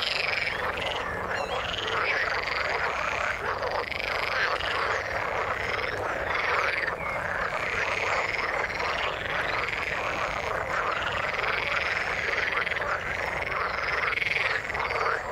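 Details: In the water, frogs keep up a constant massed chorus, rapid rattling croaks layered over one another, a bright higher trill weaving in and out, no pauses anywhere.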